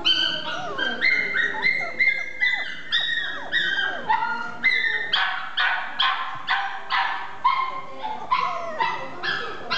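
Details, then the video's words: Male Chihuahua and Toy Poodle mix dog yelping and whining continuously, a rapid run of high, pulsed cries repeating roughly every half second, some sliding down in pitch, later turning into sharper, more even yaps. "ハーフ犬（チワワ×トイプードル） 男の子"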